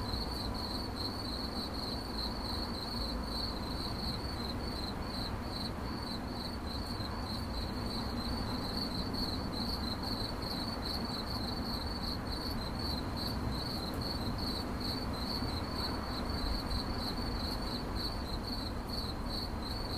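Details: Continuous high-pitched cricket chirps, closely spaced and evenly repeated across the whole stretch, with a steady low-frequency hum beneath.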